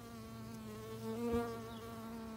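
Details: Close-up honey bee foraging on a white Rose of Sharon bloom, humming with a continuous harmonic buzz that briefly swells louder near the middle, then settles back to an even drone.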